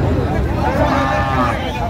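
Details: Thin, bony dairy cows for sale at the Aftabganj cattle market in Dinajpur on 22 April 2025; a short, low moo with bending harmonics rises and falls beneath close human speech and general market chatter.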